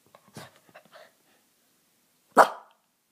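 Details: Lhasa Apso dog playing at home: soft human voice and small noises at first, then one sharp, loud single bark, followed by silence.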